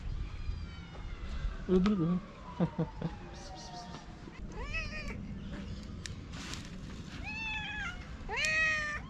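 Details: Many hungry feral cats and kittens on a sidewalk meowing loudly for food: a series of sharp, rising-then-falling meows, several overlapping, clustered in the second half, with a long descending whine earlier and faint street noise.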